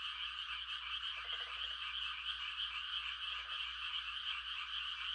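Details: Countryside frog chorus at night during rice-planting season, mating calls forming a steady high trilling wall of sound, with two short lower rattling croak bursts and a faint low hum underneath.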